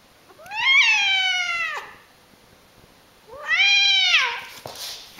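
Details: Domestic cat meowing twice, each call rising then holding a strong, drawn-out wailing tone before sliding down, about a second and a half apart, in a quiet indoor space with a faint rustle at the end.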